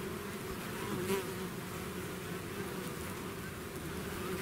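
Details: Swarm of bees leaving the hive: steady, rich buzzing drone throughout, one close insect flying past just after the first second.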